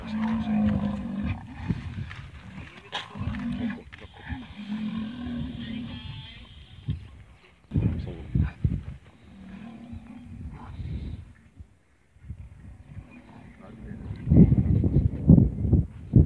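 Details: Hippopotamuses attacking a rhinoceros: repeated loud, deep, harmonic roaring bellows of one to two seconds each, broken by snorts and a short silence, then ending in heavy, rough grunting bursts.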